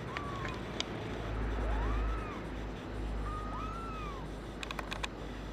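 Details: A brown tabby and white male kitten, born 27 February 2011 and waiting for a new home, gives three thin, arched mews that rise then fall, over a steady low hum with a few sharp clicks near the end.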